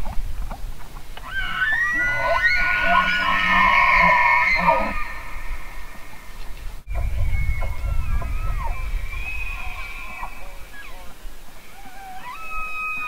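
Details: Elk bugling: a loud, high whistled scream with stacked harmonics that holds for about three seconds, then a sharp knock and a second, fainter series of thin whistles over low rumbling background noise.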